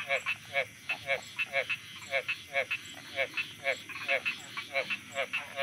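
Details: Thai frogs at night give loud, regular pulsed croaks, roughly two to three per second, each a short rasping burst, while a thin high whistle-like tone and steady insect drone run underneath.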